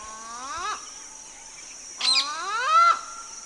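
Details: Smooth-coated otter fishing in the Karnali River, Bardia National Park, Nepal: two rising, squealing calls, the second longer and climbing, over a steady high-pitched insect drone.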